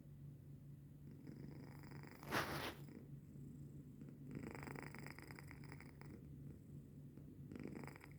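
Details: Domestic cat named Denok asleep at 3:45 in the morning on 14 January 2025, snoring softly indoors: rough, rhythmic breathy bursts over a steady low hum, with one sharp louder rustle near the middle.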